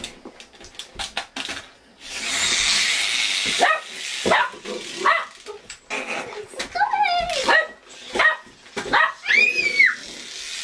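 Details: A pet dog named Bernie gives short barks and whining, whimpering calls that rise and fall, mixed with a child making lots of noise, hissing static and talk in a room.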